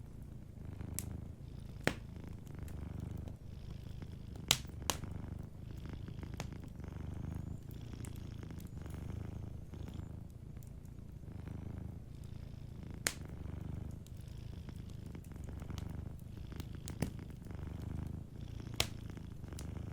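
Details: Gentle purring of a sleeping cat, a low throbbing drone in repeated breath cycles, accompanied by intermittent loud cracks and light crackling from a fireplace.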